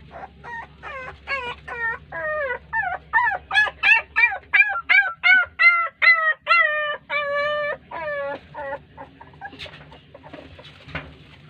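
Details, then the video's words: Puppies cry as their mother dog ignores them. A quick run of arched, wavering whimpers grows louder and higher, then slows into longer falling wails before fading into scattered faint noises. "A Heart Breaking Reaction Of A Puppy When Mother Dog Ignored Them || Crying Puppies"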